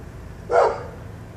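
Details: A neighbor's dog, apparently annoyed by a person talking nearby, gives one short, harsh, mid-pitched bark over a low background hum.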